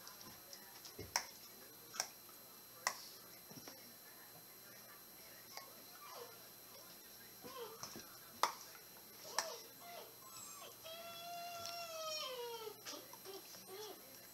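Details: Dobermann chomping while playing: sharp, isolated snapping clacks at irregular intervals, about six across nine seconds, in a quiet indoor room, then a higher wavering, falling voice-like tone near the end.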